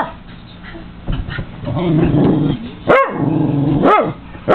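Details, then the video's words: Cairn Terrier growling at feeding seagulls and crows beyond a window; a long low growl with two sharp barks near the end. "Seagulls & Crows VS Cairn Terrier, The Dog Hates Birds"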